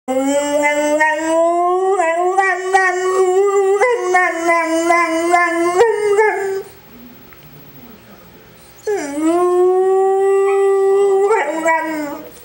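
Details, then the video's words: English Springer Spaniel howling indoors: long steady rich-toned howls with wavering pulses, a quiet pause near seven seconds, then a rising howl again. "English Springer Singer Spaniel"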